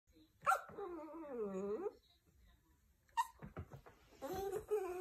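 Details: Toy Poodle crying indoors in a small room, trying to get its owner out of bed for attention: a long drawn-out whine that dips and rises again, a short pause, then a second wavering whine preceded by quick sniffs or clicks.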